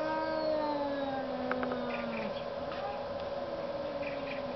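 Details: Cats arguing out in the snow give a long, drawn-out yowl that sags slowly in pitch and wavers, with rich overtones. A few brief higher squeals break in midway over a steady hiss of background noise.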